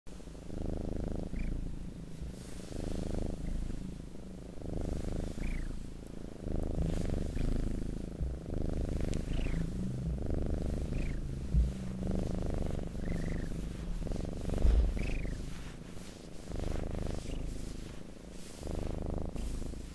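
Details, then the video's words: Domestic cat purring close up, a low rumbling throb that swells and fades in breathing cycles roughly every one and a half to two seconds, with brief high chirp-like squeaks scattered above the rumble. "Purring Cat ASMR"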